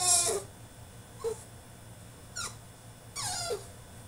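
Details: Caged French Bulldog having a tantrum, giving four short high whines, each sliding steeply downward in pitch, spaced about a second apart against a constant low background hum.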